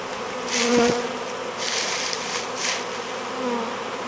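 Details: Honey bees from a swarm being hived, drifting in as they start working; a low hum from a passing bee rises around one second, then softer hissy buzzing swells and fades several times.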